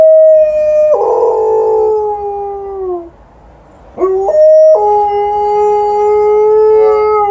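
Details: Alaskan Malamute Liza howling outdoors at a passing ambulance after an evening walk; a wavering, falling howl breaks off, then after a quiet gap she resumes with a long, steady, slightly rising drawn-out note.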